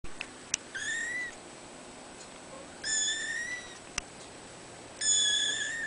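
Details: Young kittens in a cattery, born 3 December 2011; drawn-out, high, slightly rising mews in three calls about two seconds apart over steady background hiss, with a few clicks.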